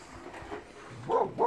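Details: Neighbour's dog in Dumbleyung, Western Australia, giving two quick, sharp barks at the end after quieter background sound.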